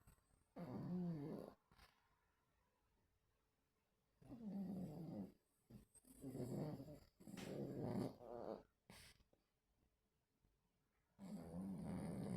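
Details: Sleeping dogs dreaming, 26 August 2024: rough, breathy, growl-like snores in uneven bursts of one to two seconds, five bouts in a row with short pauses, indoors.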